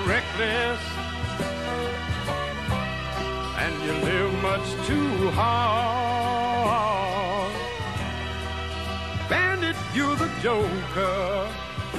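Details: Soulful sung song with sustained, wavering vocal lines over steady instrumental backing throughout; no barking or other animal calls stand out.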